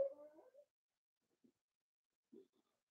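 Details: Indoor pen of four-week-old Cavalier King Charles Spaniel puppies, being socialized and offered puppy mash; a soft, drawn-out whimper with a faint rising end opens the moment, followed by two tiny muffled squeaks in near silence.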